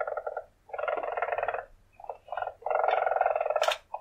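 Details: Weasel purring in bursts of rapid, pulsed trilling, each lasting about half a second to a second with short gaps, the last burst longest and ending in a brief sharp squeak; quiet background.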